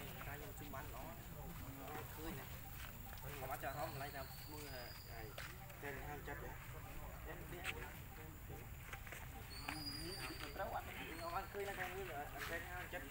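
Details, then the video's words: Baby monkey Lucie wailing and whimpering because her mother refused to give milk. A long run of shaky, wavering cries comes with a few thin high whistles and a constant low background hum. "OhGod ! Ve-ryP-ity Lucie Cr-y Lou-dly Se-isures An-gry Mom cos Mom R-ej-ected Milk I Lo-vely Monkey"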